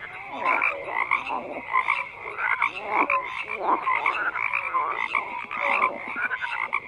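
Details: Crowded frog chorus with rattling, grating croaks in uneven bursts and scattered short piping notes, the voices overlapping so closely that the sound never stops.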